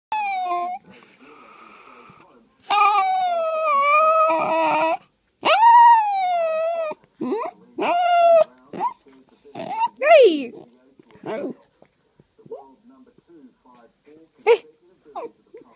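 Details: Poodle making an unusual whinging sound: long, drawn-out nasal whines of about two seconds each with wavering pitch, followed by shorter broken whimpers and soft squeaks fading toward the end.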